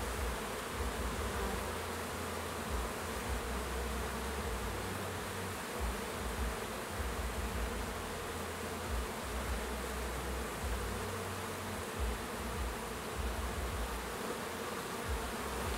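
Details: Swarming hum of honey bees as new foragers take orientation flights and workers clean up cappings; a long, even buzzing drone, slightly pulsing in strength, with no other clear sounds.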